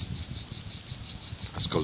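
A cicada sings in a high, pulsing buzz, its rasping bursts repeating about five times a second.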